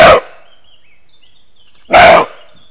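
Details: A male European roe deer filmed by a trail camera gives two short, harsh, hoarse barks about two seconds apart, probably answering a distant male over territory ahead of the mid-July to mid-August rut.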